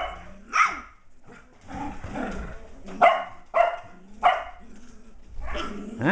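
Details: Shetland Sheepdogs indoors, an almost six-week-old sheltie puppy named MacTavish playing with adult Sasha in a great room: sharp, bright barks burst out about four times, spaced irregularly, with a woman talking softly between them.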